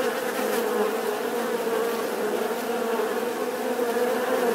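A bee buzzes steadily, a low droning hum that holds an even pitch throughout.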